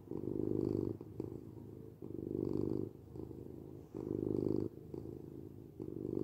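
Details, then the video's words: Low rumbling purr of a domestic cat, rising into louder phases roughly every two seconds and dropping to softer purring in between, four swells in a calm, even cycle. "8 minutes of Cat Purring"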